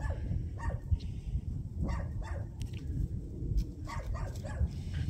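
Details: Young countryside dogs in Taean, Korea, in winter, wagging their tails and excited by the people they meet, give short bright yips, singly and in quick clusters, over a deep rumble of wind.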